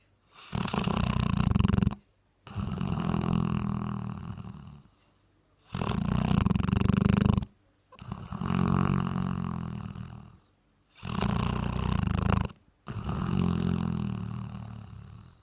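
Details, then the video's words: Bracco Italiano dog snoring while asleep: long rasping breaths alternate in and out, each lasting about two seconds, separated by short silent gaps, steady and regular across the recording, nothing else audible. "My snoring Bracco Italiano"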